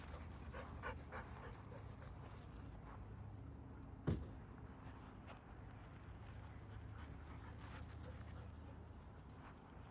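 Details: Golden Retrievers Chacha, nine, and Nene, two, on a quiet night of camper-van camping by the campfire at Otonomori Campground, Yokkaichi, Mie, Japan; soft, steady breathy panting pulses over a low background hum, with one sharp knock midway.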